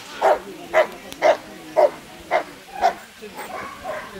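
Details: A Rottweiler gives deep, forceful barks, about two every second, in a steady run during a sleeve-attack utility and defence trial at a national dog show in Versilia, Italy.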